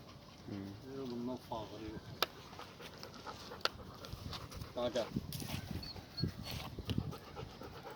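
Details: Siberian Husky named Suzy out in a forest: rhythmic panting and a few short, wavering whines, with people talking loudly over it and scattered clicks and footsteps.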